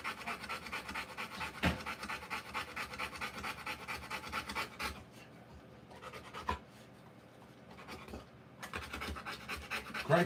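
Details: Rottweiler in labour, delivering puppies, panting in fast breathy bursts that stop for a few seconds midway and then resume, with a couple of sharp knocks or movements between.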